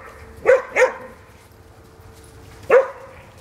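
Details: Bloodhound at a foster home, playing with the other dogs there; two quick barks in close succession, then a pause, then one more loud, resonant bark.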